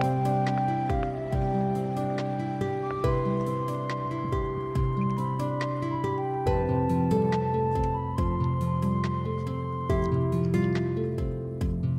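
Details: Gentle new-age music with soft flute-like melody over sustained low tones and light percussive taps, with no animal sound present.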